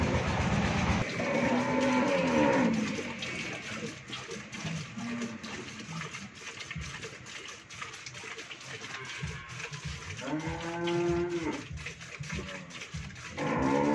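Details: Friesian dairy cow, first-calf heifer with a bull calf and a yield of 20–24 litres, kept on a farm in Pabna, Bangladesh. Two moos, one at the start and one near the end, over steady broadband barn noise.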